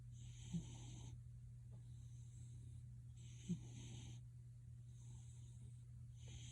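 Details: Gildong the pet cat snoring like a man: breathy, hissing in-and-out snores repeating about every three seconds, small clicks within them, over a continuous low droning hum.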